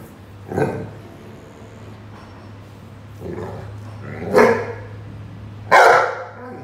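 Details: Rhodesian Ridgeback named Roady barking while playing with a watering can; three separate barks spaced irregularly over several seconds, the last loudest, over a steady low hum.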